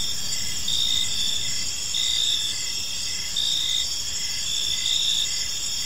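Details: Crickets in a peaceful park at evening, their high chirps pulsing in regular short bursts above a steady ringing chorus, with some low rumbling noise beneath.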